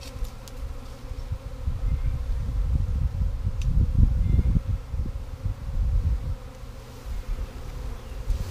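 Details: Catching swarm number three of honey bees in 2017, with the limb cut and the bees meant to enter a box; a dense low hum swells in the middle and fades, with a few faint clicks.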